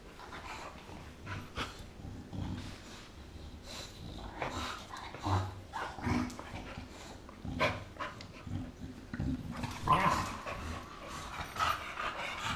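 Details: An 8-month-old American bulldog and a 6-year-old English bulldog playing; low rumbling growls and grunts come in irregular bursts, with scuffling, snorts and sharper noises around the tenth second.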